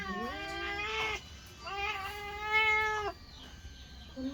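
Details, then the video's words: Kittens calling while they eat: two long, strained meows each lasting over a second, followed by a short rising mew at the end, over faint low hum. "Sweet Kittens Meowing cat's eating"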